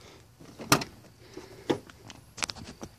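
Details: Sharp knocks and clicks, like a car door and windows, over low indoor background noise, with no animal voice.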